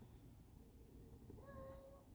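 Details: An old, dirty but friendly female domestic cat outdoors at a house, not wanting to be petted, gives one short drawn-out harmonic meow near the end, after a low background rumble and a soft murmur.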